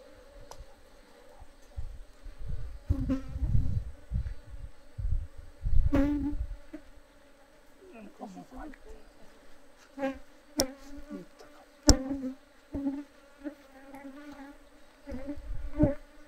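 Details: Japanese honey bees (Apis cerana japonica) in a traditional stacked-box hive in Japan, kept by natural beekeeping, disturbed during a honey harvest; low droning hum rising in bursts, mixed with sharp knocks, scraping and clicks from the hive being worked.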